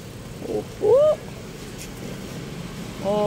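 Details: Hungry abandoned stray kitten being fed: a short rising-falling meow near one second, another faint mew at the end, over traffic rumble and a voice.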